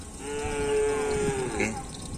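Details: Kerapan sapi racing cattle in training at Asemanis field, 6 November 2022, before a bull race: a long, steady, tonal moo held for over a second, then a brief upward squeal at the end amid background chatter.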